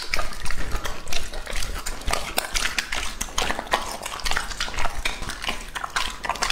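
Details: Lucky, a two-and-a-half-year-old male English-type Labrador Retriever, eating a meal of meat, duck wings, gizzards, rabbit heart, fruit and vegetables; wet crunching and chewing bursts come in rapid succession with dull knocks, no barking or voices.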